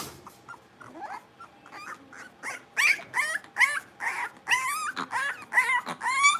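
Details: Cavalier King Charles Spaniel puppies, blenheim-coloured littermates, play-barking in their pen: soft scattered yips build into a loud, quickening series of high, wavering yaps and squeals.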